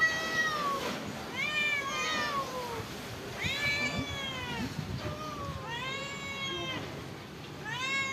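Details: Meowing from stray cats that live at a pagoda while being given rice and fish; a run of clear, arched harmonic meows roughly every second or so, several cats overlapping, faint outdoor background.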